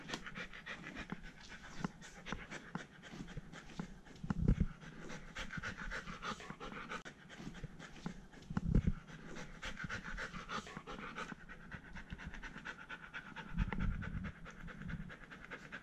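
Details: Poodle brothers Iruma and Dory indoors at home, playful Dory out of his fence on a leash beside calm Iruma; soft rapid panting runs steadily throughout, with a few louder low thumps and breaths.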